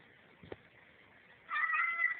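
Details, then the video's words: Domestic cat meowing at its owner while he walks down the hall, as if holding a conversation, recorded indoors on a cell phone; a brief tap is followed by a drawn-out, harmonic meow in the second half. "Talking Cat"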